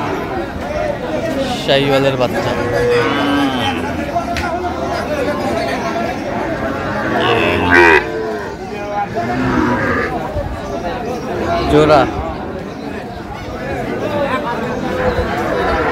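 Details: Sahiwal breed bulls being bought by a farmer in Tangail, Bangladesh, 9 May 2025; scattered low moos come every few seconds amid busy talking voices and occasional sharp knocks.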